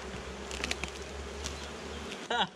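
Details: Swarm of honey bees getting a new hive, their low continuous buzzing with scattered clicks and knocks, a brief voice cutting in at the end.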